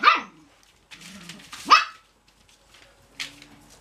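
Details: Young Cocker Spaniel puppies not ready for bed let out a few scattered high yelps and a short whine, with soft rustling and quieter gaps between calls.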